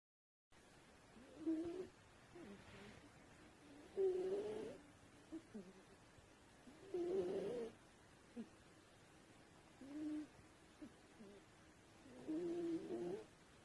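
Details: Sleeping pet cat snoring softly in a quiet room; low rasping snores come roughly every two to three seconds, five breaths in all, with faint background hiss.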